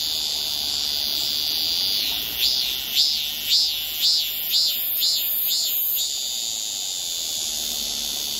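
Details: Cicada singing on a tree at very close range in Seoul, South Korea, July 2018, recorded on a Samsung Galaxy S9+: a steady high buzzing drone overlaid by about eight loud rhythmic pulses, roughly two per second, then the drone continues alone.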